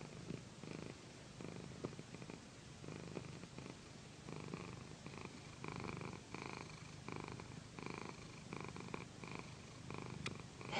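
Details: Pandy, a pet female cat, lies on a satin pillow being massaged and gives a loud, mellow purr: a continuous low throb that swells and eases in rhythm with her breathing, under light rubbing and fabric rustle.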